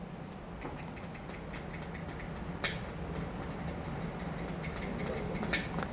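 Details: Sperm whale clicks, likened to Morse code: sharp, dry taps repeated several times a second over a low background hum.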